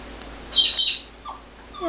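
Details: Shih Tzu puppy, 18 days old, giving a brief high squeaky cry, then a short falling whine and a thin rising whimper at the end.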